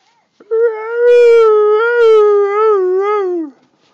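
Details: A female Siberian Husky gives a long, wavering, howl-like 'talking' sound that drops in pitch at the end, answering her owner's voice.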